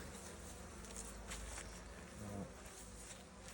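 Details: Wintering honey bees in a hive opened for inspection and solid feeding on 30 January 2026. A continuous low humming drone from the colony runs throughout, with soft handling rustles and a brief low murmur of voices.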